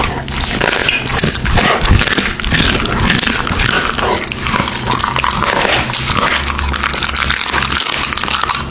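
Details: Raw meat being chewed by an American Bully, recorded up close in a small room: dense crunching and slurping bites throughout, brief louder snaps near two seconds, faint background hum.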